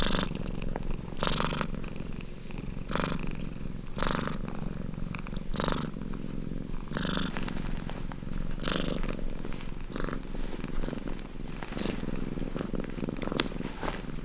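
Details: Purring domestic cat, an even low rumble overlaid with rhythmic rasping breath surges roughly every one to one and a half seconds, uninterrupted and without other noises.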